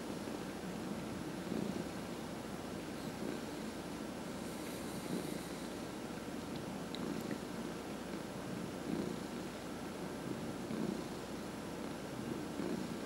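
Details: Domestic cats, including two senior cats of about 14, purr steadily during a massage, a low rumbling throb that swells with each breath.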